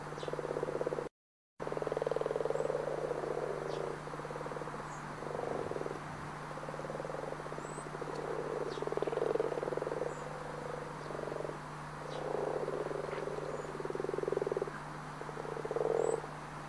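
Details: Frogs croak in low, nasal bursts, several voices overlapping in an uneven stream; the recording is of Brazilian Pantanal fauna, possibly sapo-boi, sapo-martelo or cururu toad.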